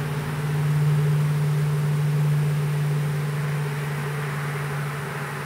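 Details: Small western honey bee swarm being hived in a privet hedge thicket in south Alabama on 12 April 2014: a steady, low droning hum holds throughout, slightly louder early on and easing toward the end, over a broad airy hiss.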